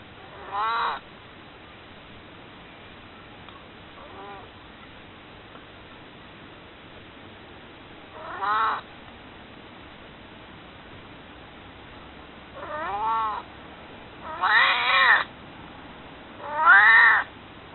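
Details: An old pet cat named Maru, nearing 22 years, pleads to be held with around six loud, wavering meows, some paired closely together, others separated by several seconds of near silence indoors.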